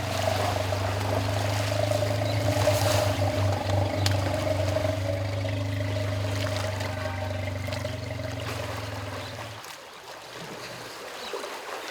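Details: A steady low motor-like hum with constant tones and running water, fading near the end, and no clear animal calls.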